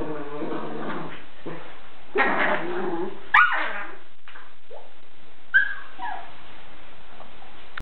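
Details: Young puppy fussing: rough, grumbling vocal bursts, a sharp yip, then a brief high whimper that falls away, with pauses of near silence between sounds.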